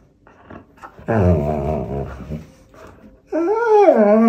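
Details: Pointer dog complaining during tug-of-war play with a toy indoors; a low wavering growl-like moan, then a loud rising-and-falling harmonic whine near the end.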